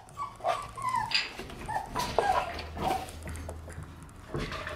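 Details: Shiba Inu puppies born in August and September playing outdoors on January 20th; short high whimpers and yips rise and fall over a low steady hum, several brief squeaky calls overlapping.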